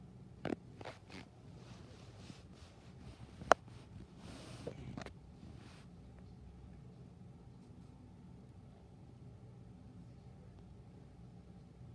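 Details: A quiet indoor room with low background hum, a few sharp clicks and brief rustles in the first five seconds, then near silence.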